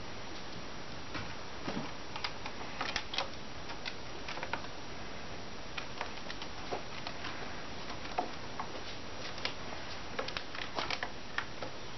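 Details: Indoors in a small room, soft irregular ticking and tapping clicks over a low steady hum, with no animal voice.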